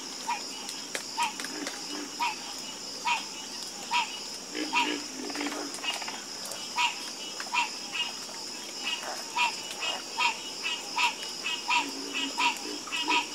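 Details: Chorus of frogs croaking: short pulsed notes near a steady mid pitch, repeated a little over once a second, with softer low croaks from other frogs beneath and a constant high hiss throughout.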